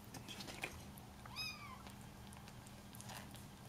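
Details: Bengal kittens at their first introduction to salmon, finding the smell strange but loving it; one short arched meow with a rising then falling tone and bright harmonics, over soft clicks and light tapping.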